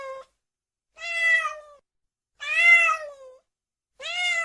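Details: Domestic cat meowing: three drawn-out, harmonic meows, each about a second long and slightly falling at the end, spaced roughly every one and a half seconds, with a fourth starting at the close; no other sounds.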